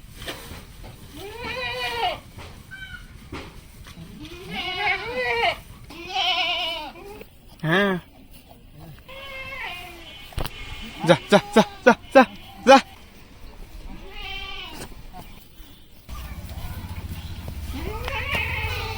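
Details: Farmed goats on a Padma River sandbank in rural Bangladesh, a nanny with two young kids: repeated wavering bleats of varying length, a burst of five quick sharp bleats in a row, and people speaking in between.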